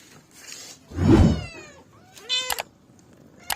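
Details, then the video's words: Domestic cat giving a short meow with a rising then falling tone, after a loud low thump and rustle, followed by a sharp click. "Billi ki Awaj|cat sounds|Cat Mewoing Sound Effect"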